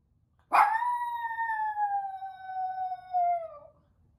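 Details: Female toy poodle howling each time her owners leave: one sustained, steady, slightly falling howl of about three seconds with a brief swell near the end, in a quiet room.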